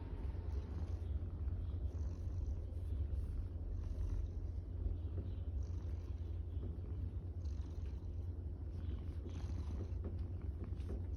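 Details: A tortoiseshell domestic cat, happy while being petted, purrs steadily, a deep, continuous rumbling vibration that never pauses.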